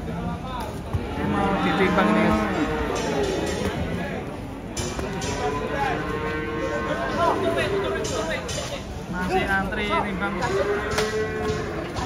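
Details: A huge cow with a limping leg, coming down off a truck, lets out a low droning moo near the start and again later, half buried under lively talking voices and music.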